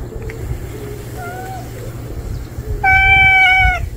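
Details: An unfamiliar male stray cat that has just appeared gives a faint short meow, then a louder, steady, drawn-out meow of about a second near the end, over a low background hum.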